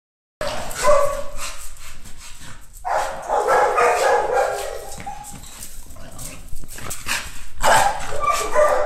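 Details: American Bully Pocket named Chilanga, a nine-month-old female in protection-dog training, barks in rapid, loud, harsh bursts with whining yips between, short pauses breaking the volley.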